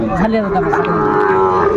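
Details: Sahiwal bull at the Aftabganj cattle market in Dinajpur, Bangladesh, on 28 January 2025, giving a steady, drawn-out low moo under market crowd noise and nearby talk.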